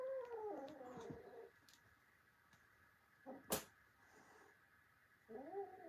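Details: Kitten fighting adult brother cats indoors: a descending wavering yowl at the start, then a quiet stretch with thumps and a sharp knock, and a short rising moan at the end.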